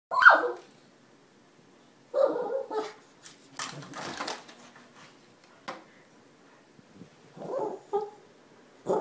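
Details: Shih Tzu puppy barking at the neighbourhood from a perch in a front room, guarding against strangers; short sharp barks in separate bursts with pauses, indoors, some rustling and thumps between.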